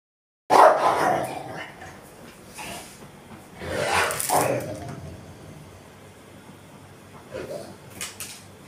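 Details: Rottweiler named Tyson guarding a toy, giving a loud harsh vocal burst, then quieter rough bursts near four and seven seconds, with low background noise between them.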